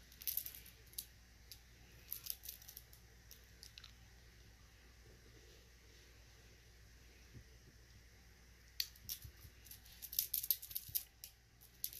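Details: Bursts of crisp snipping and crunching noises come and go in a quiet indoor room. No animal calls are heard.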